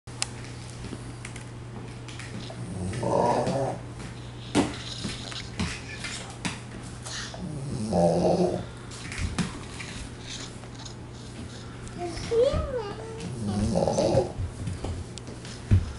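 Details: Flat-coated retriever, a male about six years old, snoring indoors in July 2005; rasping, throaty snores come roughly every five to six seconds over a steady low electrical hum, with one brief wavering whistle between breaths.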